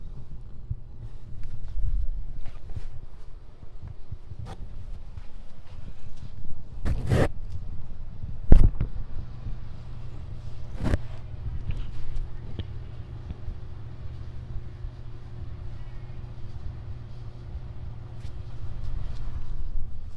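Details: Male cat purring while being petted on his back: a steady, deep low rumble throughout, with occasional sharp clicks and scraping touches from the petting around the middle.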